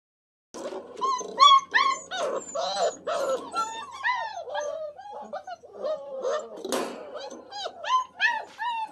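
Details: Very wet Standard Poodle boys, young puppies just bathed and meeting the outdoors and a play pen for the first time. Steady chorus of rising-and-falling whines and yelps, several voices overlapping, nearly three cries a second.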